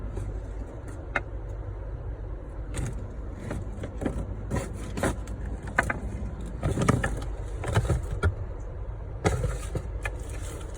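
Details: Low rumbling traffic and engine noise fills the background, broken by sharp clicks and jangling knocks, with no animal voice heard.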